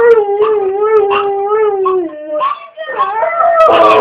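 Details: Pet dog "singing" a potty song when asked if he needs to go potty: a sustained howling wail that slides gently downward, wavering, then rises into a brighter overlapping tone toward the end, with a person's voice chanting along.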